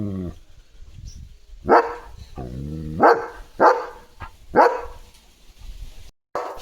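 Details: Leo, a pet German Shepherd, barks in a home courtyard decorated with rangoli and a sky lantern during Diwali: four sharp, loud barks spaced roughly a second apart, with a woman talking between them.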